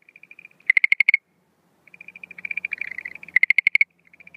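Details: Schlegel's green tree frog calling at night on 17 April 2013 at the start of breeding season, no females seen. Loud bursts of rapid pulsed notes at about 0.7 and 3.4 seconds, with softer pulsed trills from other frogs between them.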